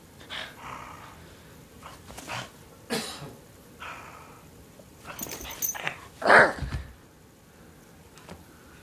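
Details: A pet dog playing tug of war makes short, rough growly bursts scattered through the recording. One louder, tonal yelp-like bark rings out near the end, with quiet rustling and shuffling in between.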